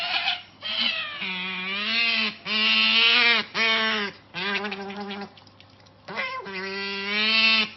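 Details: An otter freaking out with excitement over treats, giving loud, harmonic, wavering screams in long bursts of one to two seconds, separated by short pauses, with strange squealing noises between them and a steady low hum underneath.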